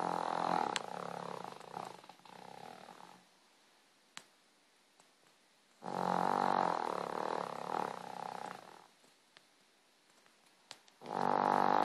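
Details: Sleeping pet dog snoring: long rough, buzzy rumbling breaths with a harmonic, vibrating tone, each lasting about three seconds and separated by quiet pauses of two to three seconds.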